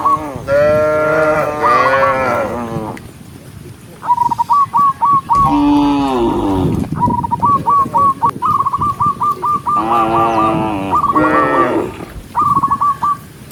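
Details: Cows give deep, drawn-out moos with rapid pulsed trills between them while a herd of dozens of tame cows is herded in the countryside.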